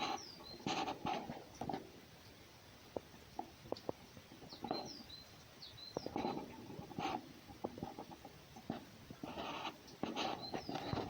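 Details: Markiza, a wild red fox, scolds and expresses displeasure with short raspy chattering bursts in clusters, broken by sharp knocks and clicks, while high descending bird chirps sound in the background.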